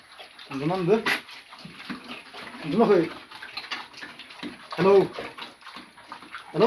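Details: Pigs at a piggery farm giving three loud, tonal squealing calls spaced about two seconds apart, each with a rising then falling pitch, over splashing water and background human voices.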